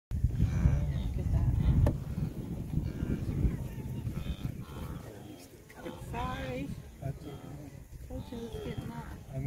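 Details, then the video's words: Wildebeest during the migration in the Serengeti, Tanzania, on 27 June 2023: a chorus of nasal, honking grunts with curved harmonic stacks over a heavy low rumble of the moving herd, with people's voices talking nearby. "Wildebeest migration in the Serengeti, Tanzania"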